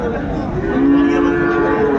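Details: Cow lowing at the Ambari cattle market in Dinajpur, 31 January 2025: one flat, sustained moo begins partway in and carries to the end, over background voices.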